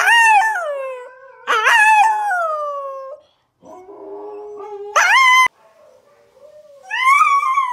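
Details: Siberian Husky howling while watching videos: long wavering howls that rise and fall, with abrupt louder yowling bursts, pauses between phrases, and a quieter low moan in the middle.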